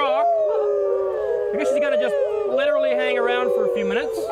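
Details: A gibbon at a zoo in Moncton, New Brunswick, sitting on a rock after encouragement, sings its loud territorial call of wavering, tonal hoots that swoop up and down, audible across the zoo.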